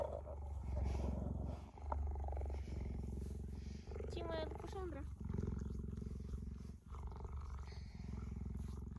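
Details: A tame female cheetah lying beside a woman purrs in a deep, fast, throbbing rumble that runs almost unbroken, while the woman speaks to her gently and a brief higher voiced sound cuts in midway.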